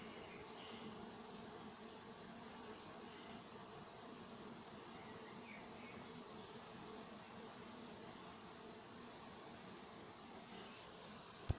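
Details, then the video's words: Honey bee apiary at Nowa Aleksandria during summer 2021, bees working; a softer, more diffuse hum with extra low rumble, faint high chirps, and a sudden click at the very end. "Nowa Aleksandria pasieka pszczoły pracują lato 2021rok."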